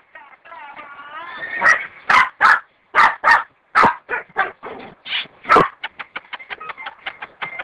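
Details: Dog giving a rising wavering whine, then a run of sharp barks and yelps at irregular intervals, tapering into quicker, softer yips near the end.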